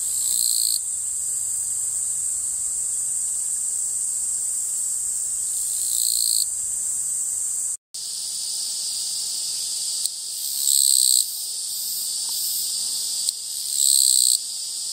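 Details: Chirring Japanese katydid: several harsh buzzing bursts spaced irregularly, some long and some short, over a persistent high insect hum, with a brief silent break midway.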